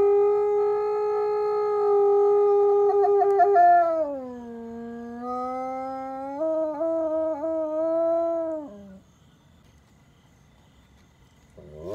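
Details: F-1 high-content wolfdog howling: a long, steady, rich-toned howl that drops in pitch midway, then holds a lower level with small wavers and breaks before fading out, followed by a quiet pause.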